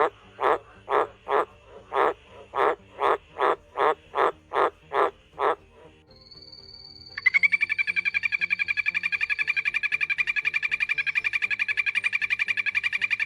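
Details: Frog. Frogs call in two voices, first a series of broad, throaty croaks about twice a second. After a brief pause, a rapid, continuous high-pitched trill takes over and runs steadily to the end.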